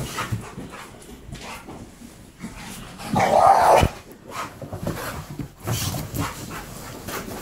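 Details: Alaskan Malamute teasing a pit bull with a toy during indoor play; one loud, drawn-out growling moan lasting about a second stands out amid scuffling, panting and thuds.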